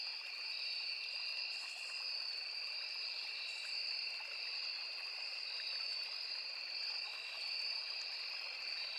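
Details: A steady, shrill chorus of crickets in a forest trills without pause over the soft rush of a small river.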